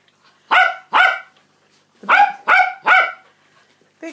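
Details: Loud barking from an adult female Cockapoo at feeding time for her seven-week-old puppies, born 5 August 2016: two sharp barks, a short pause, then three more in quick succession, with the start of another at the end.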